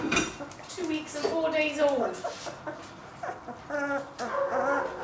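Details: Two-week-old German Shepherd puppy, Vonziu's Aragon Solo, grandson of Zamp vom Thermodos, giving thin high whimpering squeals that rise and fall in short wavering bursts, with a person talking over them.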